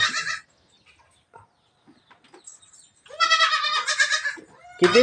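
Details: A goat kid being released in the morning on a farm bleats a long wavering harmonic cry lasting over a second, preceded by a short bleat and followed by another, with soft human speech between.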